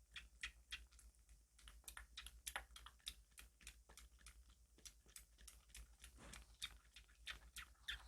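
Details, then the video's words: Kitten named Eden fiercely and eagerly lapping formula milk indoors, nearing the end of its bottle-milk days; quick wet smacking clicks about three per second, irregular, soft and close, with a low steady hum underneath. "새끼고양이 찹찹찹 a milk eating kitten"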